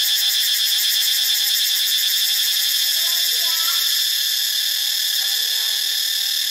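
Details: Cicadas at Ubon Ratchathani, Thailand, produce an unbroken, piercing high-pitched buzz with a fine rhythmic throb, over which a couple of faint chirping notes briefly appear.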